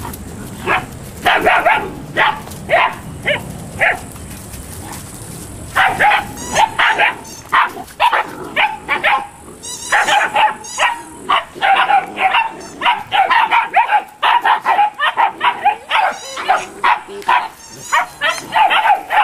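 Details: Eight-week-old Malinois puppies from a litter give a steady run of short, sharp yapping barks, several voices overlapping, with brief pauses near the start and dense bursts throughout the rest.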